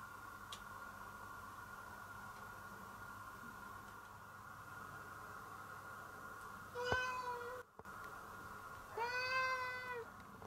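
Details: Pet cat Nora, sharing a home with a Chihuahua named Koo, meows affectionately toward its owner indoors: two drawn-out harmonic meows a couple of seconds apart, the second louder and longer, over a steady hum of room noise.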